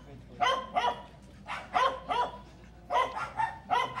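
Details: Belgian Malinois barking during a training session: short harsh barks, often in quick pairs, about nine in four seconds with brief pauses between the pairs, low hum beneath.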